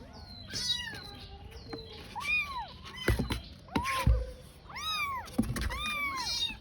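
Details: Crying desperately as it searches for its mother, a tiny kitten gives repeated curved meows that rise and drop, separated by thumps and rustles of movement close by.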